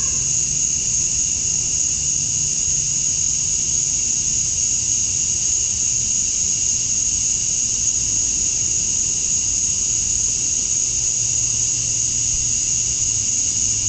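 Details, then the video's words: Summer dusk chorus of male cicadas in Georgia, USA, calling to attract females: a continuous shrill, hissing drone that never pauses, layered over a softer lower band, with a faint low rumble underneath. "Cicadas at Dusk, Summer Night"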